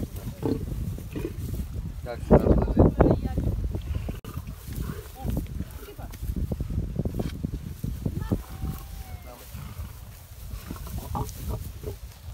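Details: Lions during feeding time, heard as deep, rough rumbling growls and snarls in irregular bursts, loudest around the third second, with people talking nearby.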